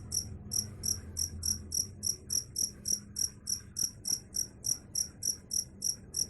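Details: Steady cricket chirping, high and pulsed, about three chirps a second in a regular even rhythm, with faint low hum beneath.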